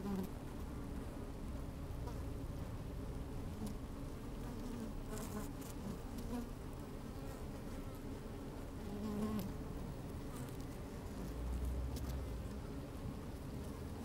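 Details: Busy honey bees in an open hive, microphone lowered into the colony on a sunny day with some wind; dense low humming drone, occasional soft crackles and rustles, a brief brighter buzz near the ninth second.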